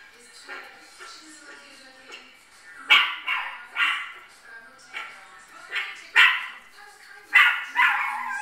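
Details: Pet Chihuahuas watching footage of themselves on screen, giving sharp, high yapping barks in uneven bursts of two, the loudest clustered after the third second, over a quiet background with faint tonal whining.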